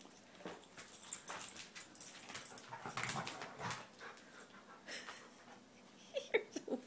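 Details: Playing dog, new to the home, breathing in quick hoarse huffs and wheezes, with a few short, thin whimpering squeaks near the end.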